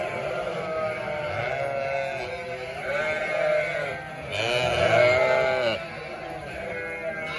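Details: Large flock of sheep, 900 ewes with 900 lambs, bleating constantly: many overlapping wavering bleats, higher lamb cries mixed with lower ewe calls, one loud quavering bleat swelling near the end.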